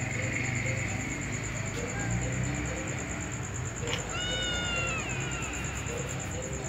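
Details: A ginger cat and a white female cat kept together; after several seconds of voices and background murmur, a single clear meow of about one second slides gently downward, with a steady high tone behind it.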